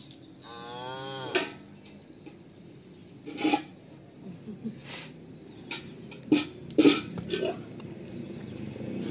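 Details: Chhotu, a cow calf, calls while waiting for milk: one drawn-out, richly harmonic moo lasting about a second, slightly wavering in pitch, followed by scattered knocks and clicks with quiet background noise.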